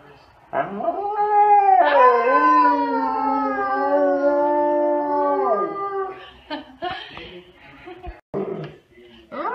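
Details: A Siberian Husky gives a long, rising, sustained howl, howling along with its owner, followed by short human vocal sounds.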